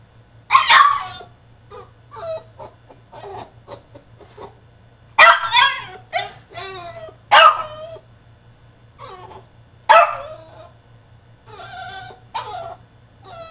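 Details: Caged French Bulldog in a tantrum, letting out irregular bursts of shrill, strained barks and yelps mixed with shorter whiny sounds and gaps, loud outbursts clustering around the middle.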